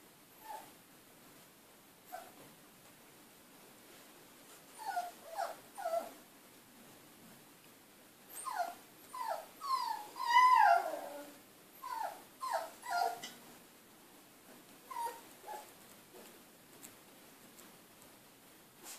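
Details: Three Siberian Husky puppies at play in a kennel, sending out bursts of high, falling whimpers and yelps with a short rising squeal near the middle, between quieter stretches of scuffling.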